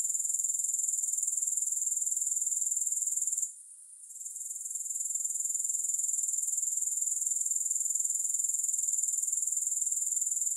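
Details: Grasshoppers singing with no music: a very high, shrill, steady trill of rapid even pulses that runs without pause except one brief dip near the four-second mark, then resumes at the same level.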